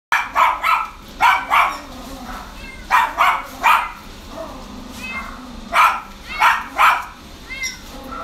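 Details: Mixed-breed dog, Chihuahua father and Shih Tzu mother, at the Inu no Ie Kawanishi pet shop, barks sharply and high, mostly in quick pairs, about a dozen barks in eight seconds over faint indoor background noise.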